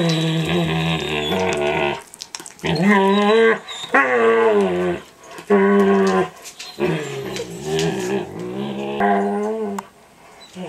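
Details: Eight-month-old standard poodle Micah makes odd noises while nibbling the older poodle's face and ears indoors; long, drawn-out whining moans rising and falling in pitch, nearly continuous with brief breaks.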